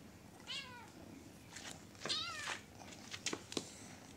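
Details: Two short, bright meows from a little pet kitten, the second higher and slightly rising, with light tapping and handling noises in between and after.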